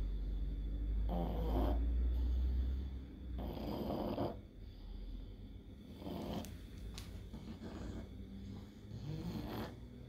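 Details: Pug fighting hard against an epileptic seizure caused by encephalitis: heavy, snore-like rasping breaths every two to three seconds over a deep, constant hum.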